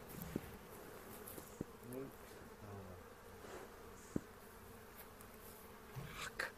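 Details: Honey bees during a spring hive inspection on April 27, 2018, in a bee yard in the foothills near Cochrane, while beekeepers look for queen cells and make a split; a faint steady hum with a few clicks and knocks from handling the hive.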